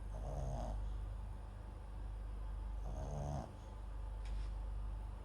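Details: Soft snoring from MAX, a sleeping Papillon and Japanese Chin mix dog recorded with a nearby microphone; two rough, nasal breaths roughly three seconds apart against constant low room hum, plus a faint click near the end.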